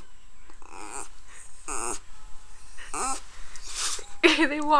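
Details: Pet dog named Poe, apparently objecting to a neighbor, barks repeatedly. Harsh, tonal barks come roughly twice a second, some bending downward, and grow louder toward the end amid faint room noise.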